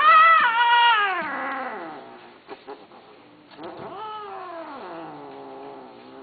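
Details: Cat uttering two long, loud, wavering meows that slide downward, the first strongest, with faint clicks between them.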